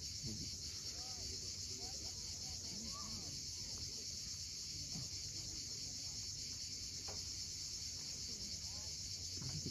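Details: Sunset cicada chorus from the steep Crimean coast at Cape Fiolent: a dense, constant high-pitched buzzing sheet of sound, with soft rising and falling chirps from birds scattered below it.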